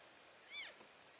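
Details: Elk in a herd moving between grazing areas, recorded February 3, 2012, giving a contact call: a single short, high, arching mew with stacked harmonics that rises and then falls. A faint steady background hiss runs underneath.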